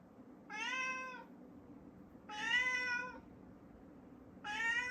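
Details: Male pet cat meowing at a closed door indoors, pleading to be let upstairs: three drawn-out, slightly falling meows about a second and a half apart, with a low background hum.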